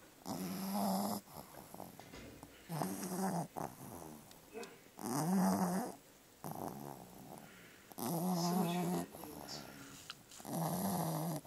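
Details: A black pug–Boston terrier mix ("bug") dog (Canis familiaris) snores loudly in rough, rattling bursts about every two and a half seconds.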